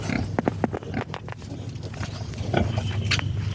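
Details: Native farmed pigs giving short grunting calls in quick irregular bursts, several overlapping, over steady low rumbling background noise.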